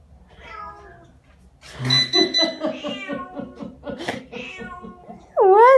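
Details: Several domestic cats meow with drawn-out, wavering cries at a house alarm system's noise while a person asks them questions.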